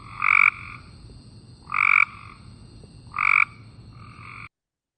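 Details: Cope's gray treefrog (Dryophytes chrysoscelis) gives short, harsh buzzy trills on a flat pitch, less distinctly pulsed and more continuous than the gray treefrog's, repeated about every second and a half; it calls from shrubs and trees.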